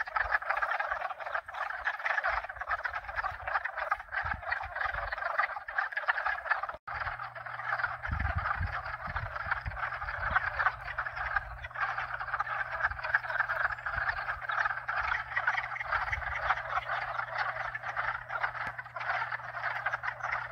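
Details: Frogs of at least two species calling in a continuous chorus of dense overlapping croaks; a steady low hot tub pump hum starts partway through, with bursts of wind rumble.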